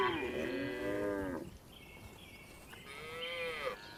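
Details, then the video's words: Tame farm cows being herded home to the barn in the afternoon; one long rich moo opens, wavering then fading, followed by a quieter thin rising moo near the end, with faint chirping between. "Funny Cow Sounds"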